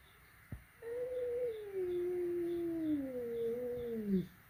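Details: Flat-nosed cat meeting a peak-nosed cat for the first time indoors at home, giving one long, drawn-out moaning meow of about three and a half seconds, slowly wavering then sliding lower at the end, over a faint steady background hum.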